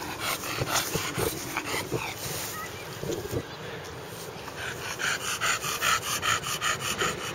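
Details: Justice the bulldog panting hard during a Sunday afternoon in the park with a companion dog, Coco; quick, rhythmic huffing breaths at about two and a half per second, with brief human speech in the background.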